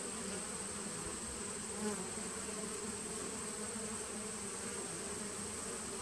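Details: Honey bees of a 2017 nucleus colony recorded on 19 September 2018: a steady, dense droning hum with low rumbling layers and a thin constant high whine throughout, one brief soft knock near two seconds.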